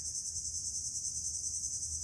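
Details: Crickets in an open outdoor area, described as very nice to listen to and relaxing; a continuous, even, high shrill trill with no pauses, over a soft low background hum.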